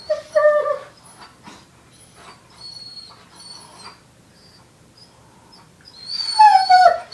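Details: Foster puppy bonding with an older dog: a high, thin whine sliding downward opens, quiet rustling follows, then a louder falling whimper with bright overtones returns near the end.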